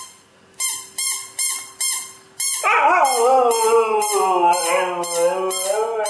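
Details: Nyockyee, a pet Siberian Husky, answers a sound: four quick, repeated, ringing tones, then a long singing howl whose pitch bends up and down while trailing steadily to the end.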